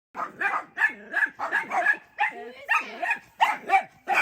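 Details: Pet dachshunds barking repeatedly at their grandmother as she looks out a window at them; rapid, irregular yapping barks, roughly three per second, overlapping from more than one dog.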